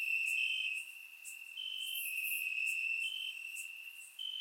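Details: Warm summer night in Bulgaria with crickets in the grass: continuous shrill trill, a second higher chirp alternating every second or so, and scattered sharp high clicks above; surround microphone recording.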